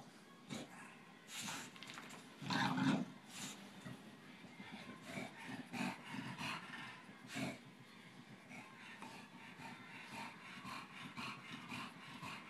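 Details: Boston terrier and bulldog, Tinker Bell and Lala, playing together: low rough growls and a louder burst near three seconds, with scuffling and panting between them.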